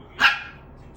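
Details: A puppy playing around in a room while its older brother is away gives one short, sharp bark that fades quickly into quiet room noise.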